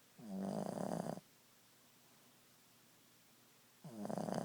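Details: Ziggie, a Boston Terrier, snoring at nap time: two loud, raspy, harmonic snores, each about a second long, with a quiet pause of several seconds between breaths in a small indoor room.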